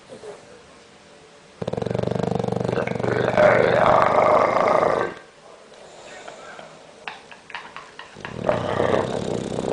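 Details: Sleeping bulldog giving a loud, frightening snore: a long rasping, fluttering drawn breath of about three and a half seconds, a quieter pause with faint rustles, then another harsh rattling snore begins.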